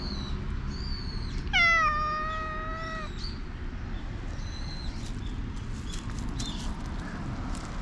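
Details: Black cat, likely a stray, meows while being tickled all over, filmed on a GoPro HERO8: one drawn-out, slightly falling meow with rich harmonics lasting about a second and a half, followed by faint high chirps against steady low background rumble.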